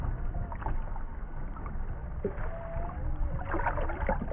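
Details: Humpback whales, three of them, recorded underwater off Maui in 2018: thin tonal moans gliding near mid pitch, one long level note around the middle, over a heavy low rumble of water noise and scattered clicks.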